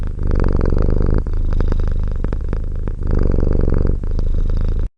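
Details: Cat purring in a deep, even rumble, alternating inhale and exhale phases with short breaks, ending abruptly in silence.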